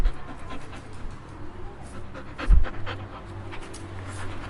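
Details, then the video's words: Dog panting: hissy breaths come in short clusters, with a louder breathy burst and bump halfway through, all over a faint steady low hum. "Dog Breathing Sound Effect"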